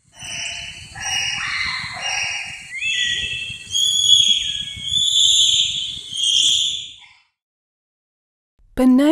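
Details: Bonobo (Pan paniscus), calls.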